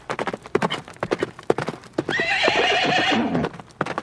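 A horse gives a loud, quavering whinny between bursts of rapid, drumming hoofbeats.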